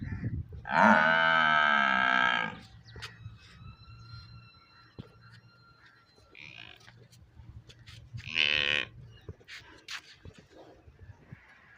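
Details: A water buffalo calf in a village gives a loud, drawn-out nasal bawl, then a shorter second cry.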